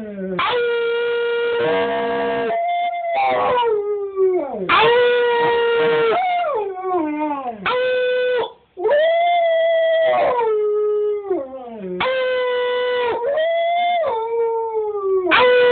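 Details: Husky/wolf hybrid Cash keeps singing in dense, almost continuous howls: held notes broken by sharp upward swoops and downward slides, the pitch rising and dropping in waves.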